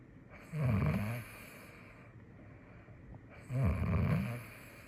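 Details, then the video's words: Female cat asleep in Taipei, snoring in two slow, low, grating bursts about three seconds apart, each swelling briefly before fading into quiet breathing. "Elle # ronfle # c’est excellent"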